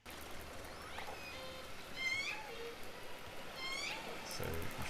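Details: Underwater hydrophone recording of several orcas giving bright, squealing, buzzy harmonic pulsed calls, some sweeping sharply upward, others dipping, over a constant rushing hiss of sea noise.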